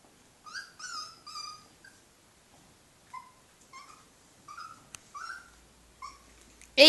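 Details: Dachshund puppies clambering over a drunk man at the end of a party; a series of thin, high whimpers and squeaks, each short and slightly rising or falling, spaced through the clip, with a sudden loud burst at the end.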